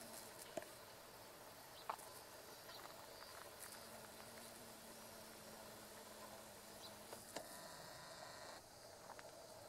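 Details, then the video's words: Two female carpenter bees (Xylocopa appendiculata circumvolans) buzz-pollinating meadow-rue flowers along a railway beside a rice field in Japan, mid-August 2013; a steady low hum lasts about seven seconds, with scattered faint clicks and background insect noise. "Buzz Pollination by Carpenter Bee クマバチ♀がアキカラマツの花で振動集粉"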